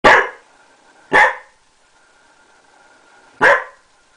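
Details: Bearded collie barking: three loud, sharp, broad barks at irregular spacing, about a second and then over two seconds apart, in an otherwise quiet setting with a faint steady hum.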